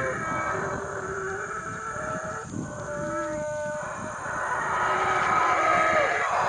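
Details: Howler monkeys in Guatemala's Bocas del Polochic roar in a broad, growling chorus that grows louder toward the end. Thin whistled bird calls sit over the continuous hiss of the forest.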